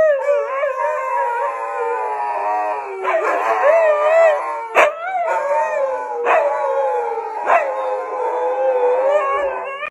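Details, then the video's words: Several huskies howl in chorus as if sounding an evacuation alert: overlapping wavering tonal howls, rising and falling, broken by brief sharp yelps and clicks every one to two seconds. "Dogs alerting evacuation"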